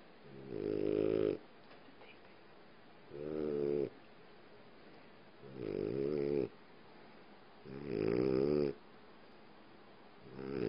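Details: In the dark, a female French Bulldog lying on her owner's leg snores in slow, rattling, nasal bursts, one roughly every two and a half seconds.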